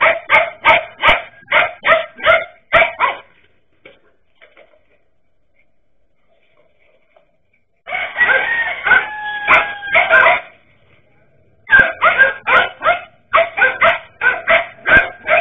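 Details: Dachshunds confronting a king cobra: fast bursts of sharp barks roughly every third of a second, a pause, then a long rising-and-falling harmonic cry mixed with barking, and more rapid barks at the end.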